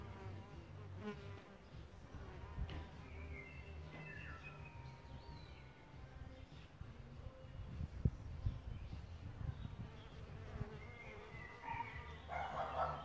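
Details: Around a bug hotel where solitary bees nest, a continuous low insect hum carries under scattered bird chirps and twittering, with a sharp click partway through.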